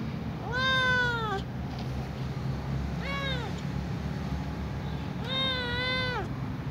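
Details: Small ginger cat calling for food it remembers by smell, giving three meows, the first and last long and wavering, the middle one shorter and falling, against a steady low hum.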